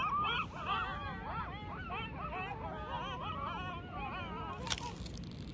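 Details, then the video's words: Coyotes howling around the listener at Starbase: a chorus of wavering, yipping, rising-and-falling high wails overlapping continuously, several voices at once, with a brief sharp click near the end over low background rumble. "Coyotes Howling Around Me at Starbase"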